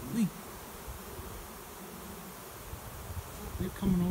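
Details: Honey bee swarm flying overhead as it settles into a swarm trap behind a garage, finding a new home; continuous low buzzing hum, with brief bits of a human voice at the start and end.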